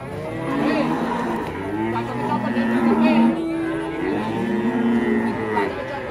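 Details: Several Indonesian cattle moo in a tangle of overlapping, wavering lows, mixed with chatter, clapping and background music.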